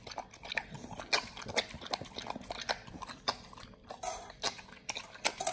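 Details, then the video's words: Pit Bull named Nomyen feeding on whole raw quails: loud, separate crunches and bites roughly every half second, with sharp cracking bursts between quieter wet mouth sounds. "nomyen the Pit Bull SOLO VS. Quails [ASMR] | BARF | MUKBANG 動物の咀嚼音 | 犬が生の肉を食べる"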